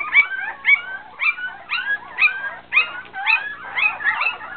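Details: Poodle puppies waiting for their mother's milk: high, thin whimpers that rise then fall, about nine in under five seconds, coming in a steady uneven pulse with a slight nasal edge; no other clear sounds.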